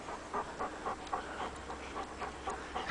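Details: Dogs chasing a rabbit, panting hard in quick rhythmic breaths, about four huffs per second, steady and breathy over faint background hiss.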